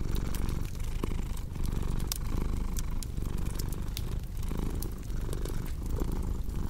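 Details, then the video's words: Low, throbbing cat purr running continuously with short pauses at each breath, partly masked by frequent snapping fireplace crackles. "Purring Cat with Cozy Crackling Fireplace Sound"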